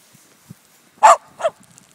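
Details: A Miniature Schnauzer in deep snow on its second day of first snow, 9 December 2012, diving into it, gives two sharp, mid-pitched barks in quick succession, the second a little shorter.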